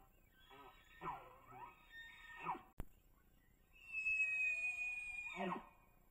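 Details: A bull elk caught on a trail camera on public land in Idaho during the rut, when bulls chase cow elk, bugles with a long, high, piercing whistle that holds steady, then breaks into a rough grunt.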